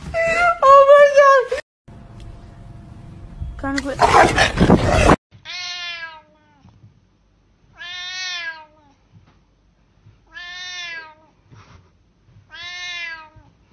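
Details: Domestic cat meowing indoors: after a loud, noisy opening, four clear, drawn-out harmonic meows follow, each slightly arched in pitch and spaced about two seconds apart, with quiet gaps between.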